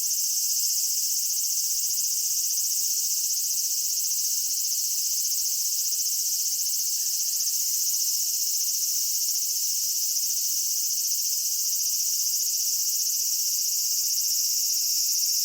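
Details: Continuous shrill buzzing of massed cicadas during a Japanese summer at Michinoku Folk Village and Kitakami Tenshochi, Kitakami; a faint murmur of something lower surfaces briefly around seven seconds.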